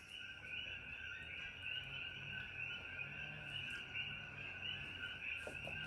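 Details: A dense chorus of coqui frogs in Hawaii at dusk, around 6 pm as it grows dark, many two-note calls blending into a steady high ringing.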